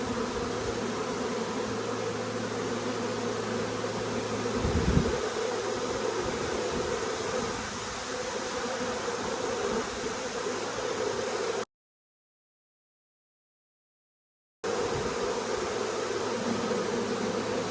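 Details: Large honey bee swarm entering a nuc that scout bees had checked out the day before; loud massed buzzing that swells briefly, drops out for a few seconds, then returns at the same level.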